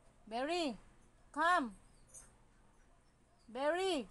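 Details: Arguing Siberian Husky voicing three short arched whines, each swelling up and sliding down in pitch, the last after a longer pause, over a low background hum.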